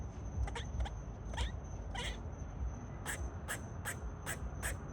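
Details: Squirrel calling with a handful of abrupt barks, the first few slightly tonal and squeaky, then a faster even run of four or five sharp barks at the end, against a low rumbling background.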